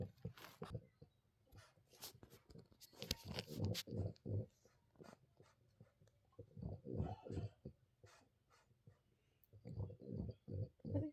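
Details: Teething French Bulldog puppy named Bina, indoors, making soft grunting, chewing-like sounds in irregular bursts of rapid low pulses with quiet pauses between them.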